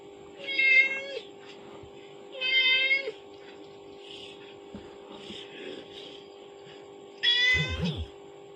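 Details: Kitten reacting to a phone playing its mother's call; three tonal meows spaced irregularly, the last one rougher and broken, with faint rustling and handling noise between them.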